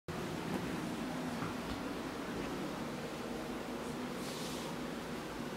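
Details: Quiet indoor hum and hiss, like a fan or air conditioner, with a brief faint rustle and no barking.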